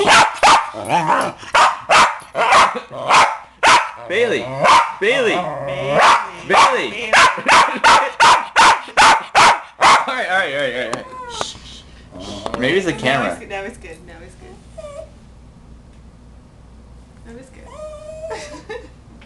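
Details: Male West Highland White Terrier barks in rapid, sharp bursts, about two a second, then a person talks; agitated reaction to one particular song on the radio that he hates, while other songs don't bother him.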